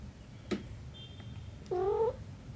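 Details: A mother cat with her kitten in a small room gives one clear rising meow lasting under half a second, rich in harmonics, after a sharp click, against a low background hum.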